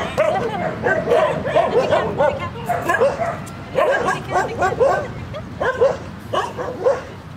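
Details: Puppy giving a rapid run of short, high yapping barks and yips in uneven bursts, with brief pauses between groups.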